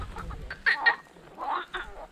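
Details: Marsh frogs croak at a small pond in forest on Krk island, Croatia, in summer as the weather worsens. They give short, harsh, cackling bursts, a few calls spaced across two seconds.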